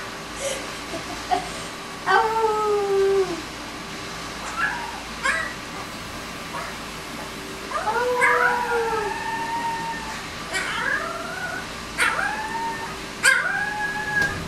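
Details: A 20-day-old Alaskan Malamute x Siberian Husky pup gives thin, wavering howls and squeaks in short bursts.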